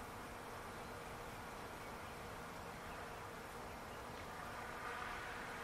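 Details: A continuous massed drone of bees in a backyard palo verde tree, even and unbroken, with a faint brighter whir rising briefly near the end.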